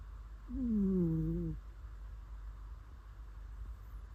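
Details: Domestic cat asleep and snoring: a brief, smooth, humming exhale that falls gently in pitch over one second, then quiet breathing-level background.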